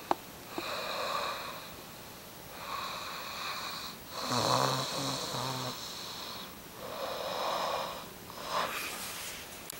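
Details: Kuba, a dog, snores steadily indoors. Four long, breathy inhalations come roughly every two seconds. One carries a low, rattling buzz, and a sharp click opens the passage.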